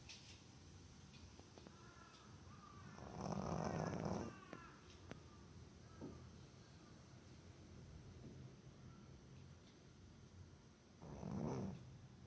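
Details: A sleeping Boston Terrier named Botan snores loudly in deep sleep; two broad rasping breaths around four and eleven seconds, separated by quiet stretches with faint soft wheezes.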